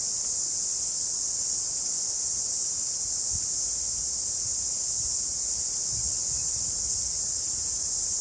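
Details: Cicadas in a New Zealand summer fill the air with a steady, high, hissing drone that never breaks.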